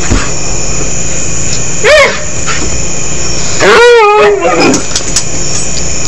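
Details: A pet dog practising saying "I love you" produces a brief whine. A longer, drawn-out moaning howl follows that rises, holds and trails off, with a person's voice nearby.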